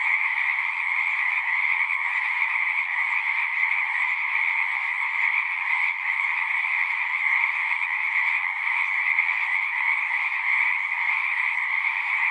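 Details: Dense frog chorus of unbroken overlapping trills, a strong higher band above a lower one, holding a level intensity with slight flickers of individual callers.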